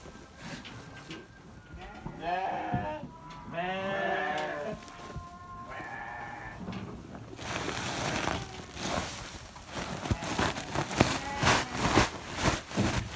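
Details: Sheep on a farm bleating: a few wavering, nasal bleats in quick succession over the first seconds, followed by loud rustling and wind-like handling noise that masks the rest.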